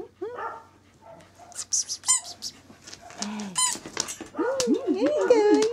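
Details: Male Corgi puppy born 19 January 2012, recorded 26 February, indoors, letting out a busy run of high squeaks and short yips, ending in a long wavering, sing-song whine; a person speaks softly among the sounds.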